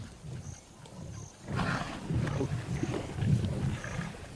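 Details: Wild lion of the Mwamba pride, the largest pride on the west bank of the Luangwa River in Zambia; after a quiet start, deep low rumbling roar-like sounds swell from about one and a half seconds onward, steady to the end.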